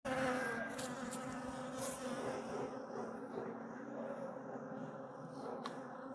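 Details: Bees in agricultural fields of Guatemala; steady low droning buzz throughout, with a few sharp clicks and brief broadband bursts early on.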